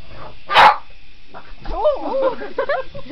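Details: Boston Terrier going after a remote control helicopter gives one loud, abrupt bark, followed by a person talking and a steady background hum.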